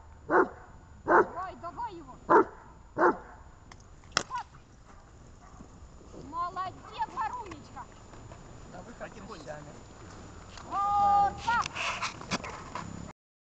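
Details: Dog on 23 December 2018, Gosha and Gesha: four loud barks in the opening seconds, then quieter murmuring voices and shuffling, ending in a higher drawn-out whine.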